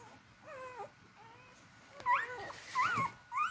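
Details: A few beagle puppies looking for their mom to eat: thin, sliding whimpers that dip downward, then louder, sharper rising-and-falling yelps bunched toward the end.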